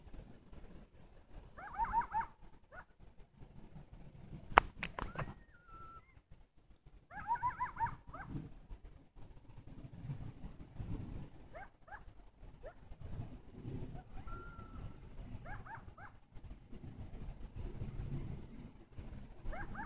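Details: Coyotes giving bursts of high, wavering, sliding yelps and short whines, with a brief held howl-like note, recurring at around two, five, seven and twelve seconds over a steady low background rumble.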